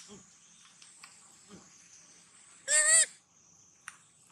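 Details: Baby monkey crying sadly, hungry and looking for its mother: one loud, arched, harmonic wail lasting about a third of a second, with a few faint softer notes before it and a steady high whine in the background.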